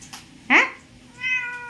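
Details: Domestic cat sitting on a washing machine indoors, talking to its owner: a short harsh chirp, then a steady, clear, level meow with strong harmonics lasting about half a second, with the owner's voice nearby.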